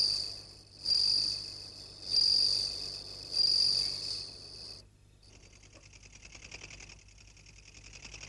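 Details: Long-horned grasshopper (katydid) heard at night among many calling insects: four high buzzy bursts about 1.3 seconds apart, then a denser, steady rattling insect chorus takes over.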